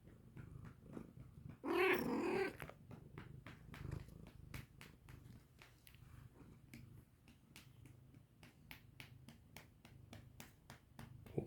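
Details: Cat that came to its mother's voice and is sniffing; one short, wavering meow early on, then a fast run of soft ticking sniffs or purr pulses, roughly three per second, in a small quiet room.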